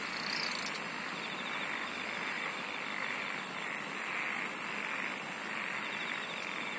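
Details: Dense insect song: a sustained high buzz throughout, a brief louder burst at the start, then a long stretch of fast, very high pulsed trilling in the second half.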